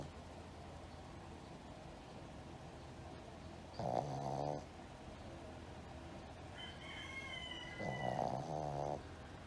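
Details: A Shih Tzu in deep sleep, tired after playing, snores in two slow, rough, rumbling breaths seconds apart, with a faint nasal whistle between them in a quiet room.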